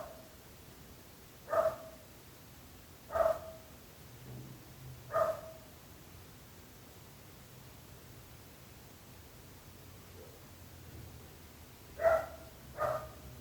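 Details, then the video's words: Nuisance barking from neighbours' dogs: single sharp barks every one and a half to two seconds, three in a row, a long quiet gap, then a quick pair, with faint low hum between. "26 minuts gossos lladrant / 26 minutes barking dogs"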